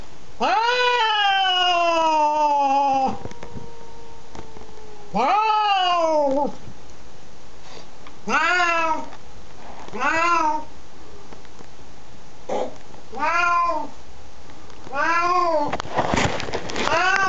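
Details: A Siamese cat facing off against the neighbours' cat gives loud, drawn-out yowling meows, one long wail followed by shorter arched cries.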